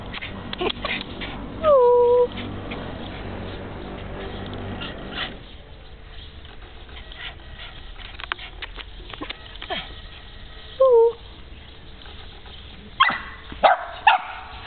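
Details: Puppy whining: a drawn-out falling whine early on, a shorter one later, then a quick burst of sharp high yelps near the end, with rustling and a low hum between.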